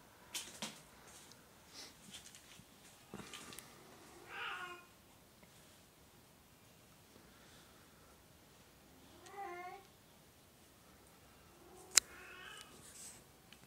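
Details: Oriental or Siamese cat indoors giving two or three harmonic meows near 4.5, 9.5 and 12.5 seconds, each short and slightly wavering, separated by quiet room noise with faint taps and a sharp click.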